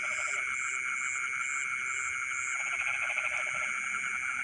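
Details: A night chorus of frogs in rice fields, with rapid pulsed croaking that fades, then swells back in after a short lull, set against a continuous ringing drone and soft high chirps repeating at the top.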